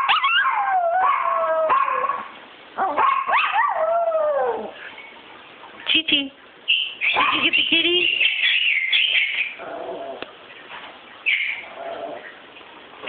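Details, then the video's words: Pet dog howling indoors as a woman talks to it; long sliding howls that rise then fall, broken by short yips and pauses, with her speech mixed in. "Chi Chi howling"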